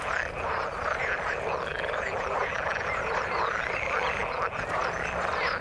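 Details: Frogs calling in the water: a dense, continuous chorus of overlapping croaks and rising trills, many callers at once with no pause, steady throughout.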